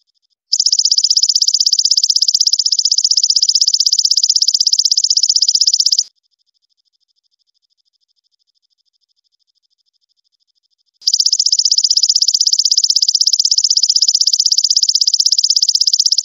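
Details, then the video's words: Golden grasshopper song used as a training recording for songbirds: a high, dry, rapidly pulsed buzzing trill held for about five seconds, then a pause of some five seconds, then another long buzzing burst. No other sounds. "Masteran BELALANG EMAS suara kristal dan jernih"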